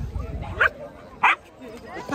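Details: At a charity dog walk, a Cairn Terrier gives two short sharp barks about half a second apart amid laughter and people talking.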